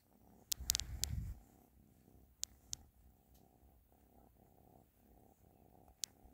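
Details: Ashley, a pet cat, purrs softly in a small room: a steady low pulsing rumble throughout, with a louder burst near the start and several sharp clicks.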